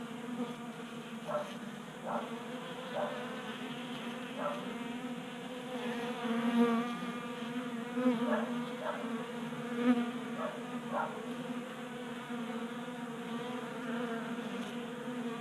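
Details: Honey bees feeding at a table-top 3D printed feeder in a Colorado garage during a warm January spell; a steady, overlapping drone of many wingbeats, with louder buzzes surging past every second or two.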